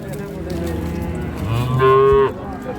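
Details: Cattle at Ambari market, Dinajpur, among dairy cows and calves on sale: a short low moo rising into a brief higher tonal bellow near the end, over a murmur of market noise.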